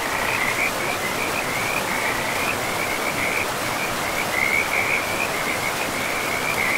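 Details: Beside a river in a moss-covered forest, frogs keep up a continuous, shrill, finely pulsed trill that rises and dips a little in strength, backed by a steady rush of water.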